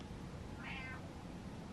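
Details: Domestic cat indoors in the dark, meowing to ask for the lights to be turned on; a single short, faint meow of about a quarter second with a brief rising-then-falling tone over a steady low background hum.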